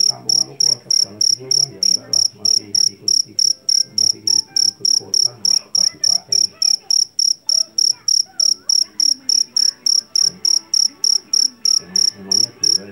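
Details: Jangkrik jeliteng, a Javanese field cricket taken from a rice paddy and known for a piercing voice, chirps in an unbroken high-pitched train of around forty pulses, evenly spaced, with soft low background rumble and faint voices.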